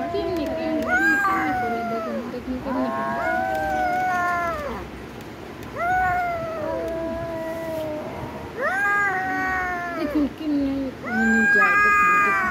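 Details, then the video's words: Domestic cat meowing repeatedly, drawn-out harmonic meows with rising then falling pitch, several long calls spaced a few seconds apart, some overlapping lower vocal sounds in the background. "cat video"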